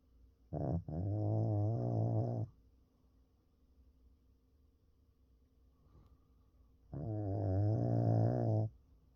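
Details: Pekingese asleep, snoring quietly: two long, buzzy, low rumbling snores about two seconds each, separated by roughly four seconds of near silence with soft breathing, a faint tonal hum in the background.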